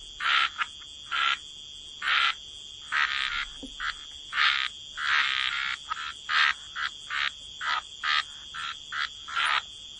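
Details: Frogs croaking by the water: separate short raspy croaks, a little over one per second and irregularly spaced, over a steady high-pitched background hum.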